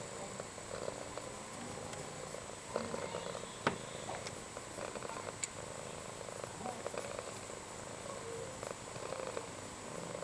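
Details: On a grey, quiet Saturday a house cat snores, each soft rasping breath recurring roughly every two seconds against faint background voices and a steady high whine.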